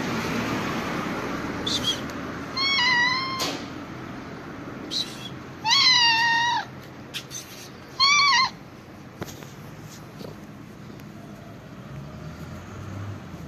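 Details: Calico cat uttering a series of short, insistent meows, about four over several seconds, each bending up then down, with scattered small knocks and background room noise.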